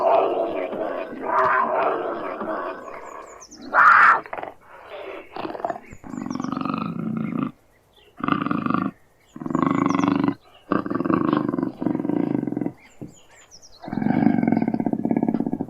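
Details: Cougar growling: rough, harsh growls in bursts of one to two seconds separated by brief silences, with a sharper, louder cry early on and a mixed, noisy stretch before the steady growling.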